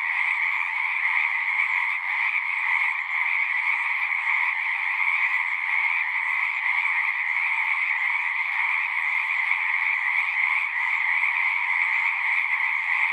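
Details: Many frogs singing together at a pasture pond, captured with a Zoom recorder; a continuous, shimmering trill of overlapping voices holds steady throughout with no pauses, no low rumble, and no other sounds.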